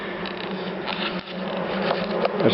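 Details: Dark honey bees in a top-bar hive, a wild-origin colony that stays calm and unaggressive during a brief inspection; a steady low buzzing hum of many bees runs throughout, with faint handling noises near the end.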